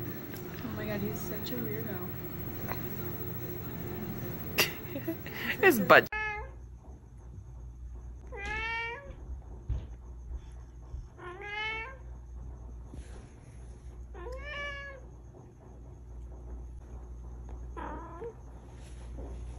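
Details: House cat meowing repeatedly after a stretch of human talk and handling noise; a series of short, wavering meows rises and falls every two to three seconds over a quiet indoor hum.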